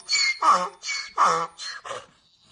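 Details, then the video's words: Donkey braying in a short, loud burst of alternating sounds: high, wheezy intakes switch with lower, rough harmonic honks. There are six pulses in about two seconds, and the call fades out at the end. "funny donkey sounds"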